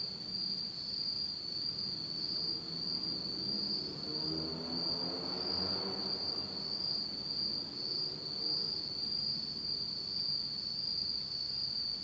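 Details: Autumn night insects in Japan, in total darkness: a steady, unbroken high-pitched trill with a faint higher overtone, while a soft low rumble swells and fades in the middle.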